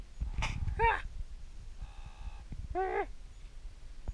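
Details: Meerkat, the one that raided a beard and ear for scorpions and found three, gives two arched, harmonic calls that rise and fall, with a steady, buzzy held tone between them after a sharp noisy burst at the start.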